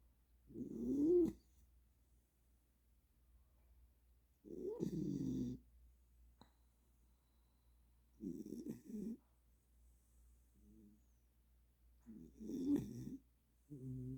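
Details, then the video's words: Welsh Corgi deep asleep after an energy burst, giving rough, throaty snores about every four seconds. Each lasts under a second, with faint snuffles between them in an otherwise quiet room. "웰시코기 ◇코골이수술해야되나~ㅋㅋ 에너지폭발후 꿀잠"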